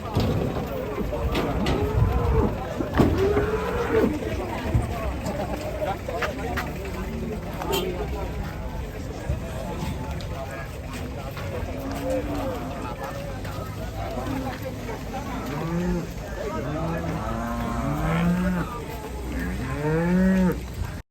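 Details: Enraged cow that leapt down from a truck and broke its leg, giving low, drawn-out harmonic moos, several in a row toward the end, amid human voices and a steady background rumble.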